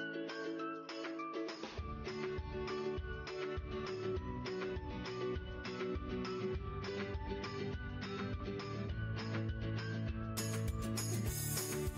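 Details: Only a steady beat-driven music track with guitar and drums is heard, brightening near the end, with no animal sound.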